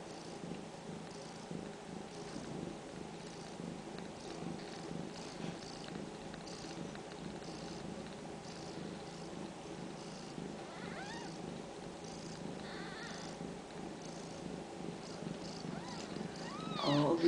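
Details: A female Ragdoll cat from a central Kansas home cattery purrs while being petted, a soft, evenly pulsing rumble, about four beats per second, that keeps going steadily and rises in loudness at the very end.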